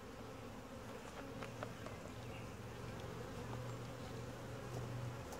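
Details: Honey bee colony during a typical hive inspection, described as quiet, gentle and calm; a steady low hum with a drone-like tone persists throughout, with faint clicks and handling noises from the inspection.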